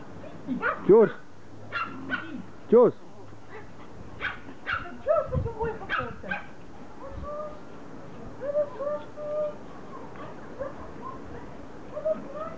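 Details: Pomeranians greeting their owner in a happy reunion after she returns from vacation; high tonal whines and short yips come in uneven bursts, with brief human voices mixed in.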